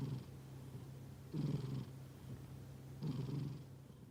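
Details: Snoozing cat giving low, raspy snoring breaths, two clear breaths about one and a half seconds apart over a quiet steady hum.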